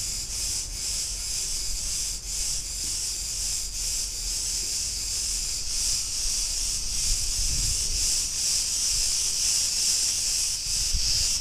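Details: Cicadas on Crete, recorded in a street in Ierapetra, Greece, making a continuous shrill hiss that swells and fades in slow pulses, with faint low traffic-like rumble beneath.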